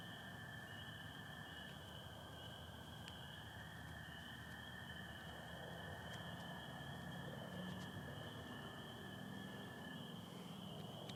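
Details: Dense spring peeper chorus with American toads, Michigan, spring night under stars and some overcast. A high, steady ringing and a lower continuous trill fill the scene, and a few sharp clicks and brief peeps stand out.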